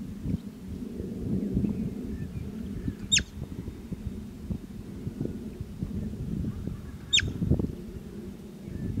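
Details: Two abrupt shrill whistles from a bobak marmot, four seconds apart, each falling sharply in pitch; low wind rumble fills the background.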